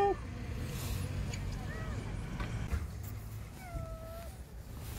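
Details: Palm-sized lost kitten crying from beneath a parked car during a rescue: a few thin, high meows that arc up and down, with a longer drawn-out cry near the end, over low traffic rumble and a person calling it out.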